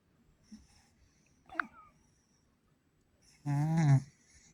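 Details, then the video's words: Pet cat asleep indoors in a small room, giving a short snore: a low rasping, wheezy breath lasting about half a second near the end, after a few faint soft clicks and rustles. "My Cat Snoring"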